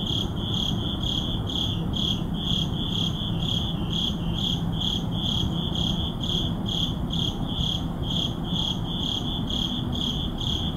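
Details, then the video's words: Crickets chirping at midnight in an urban neighborhood: steady pulsed high chirps repeating roughly twice a second, over a constant low city rumble, recorded on a Sony a7CII with an ECM-M1 microphone. "Urban Midnight Crickets"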